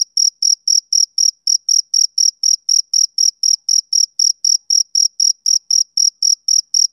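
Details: Male cricket calling on a summer evening: shrill, evenly timed chirps, about four per second for seven seconds, each a short ringing pulse, with nothing else audible.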